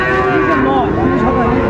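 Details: Sahiwal bull calves at a cattle market, 19 December 2024, bought by a Chittagong farmer: a brief, steady, harmonic-rich lowing fills the whole moment, with market murmur beneath.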